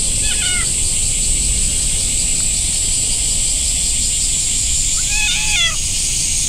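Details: Stray orange-and-white cat kneading while petted in a park beside a big pond; one brief meow at the start and a longer, bending meow about five seconds later, with constant high hiss and low rumble of outdoor ambience.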